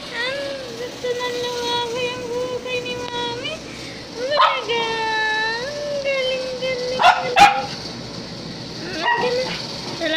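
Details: Two-week-old puppy wanting to roam: long, drawn-out whining howls with rich overtones, held level then bending downward, in several bouts, with people talking and sharp clicks nearby.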